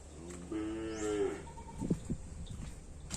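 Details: Cattle on Sapudi Island, linked to a search for top breeding stock for karapan sapi bull racing: one short, harmonic moo that rises slightly and then falls, lasting under a second, over a steady low hum and some scattered knocks.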